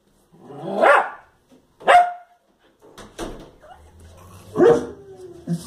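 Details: Fox Terrier reacting to the television with loud, separated barks roughly every second or two, a low background hum and faint soft sounds between them.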